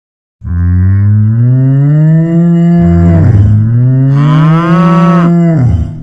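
A cow lets out a long, low moo that holds steady, then a second one that rises in pitch and grows louder before dropping away. Both calls are deep and strongly resonant.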